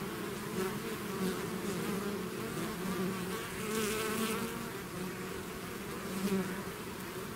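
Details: Honeybee swarm leaving its hive, a dense continuous buzzing hum with steady low tones and brief louder passes of individual bees near the microphone around the middle.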